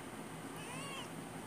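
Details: Princess, an adopted Persian cat, gives a single soft meow lasting about half a second, its tone arching up and gently falling away, heard faintly over a steady low room hum.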